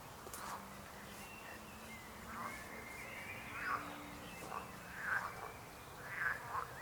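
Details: Frogs croaking outdoors, short rasping bursts spaced every second or so, growing stronger toward the end, over a steady background hiss.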